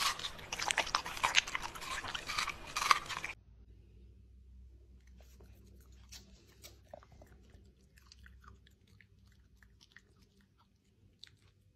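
A Pembroke Welsh Corgi crunches loudly through dry food, then chews more quietly with scattered soft clicks.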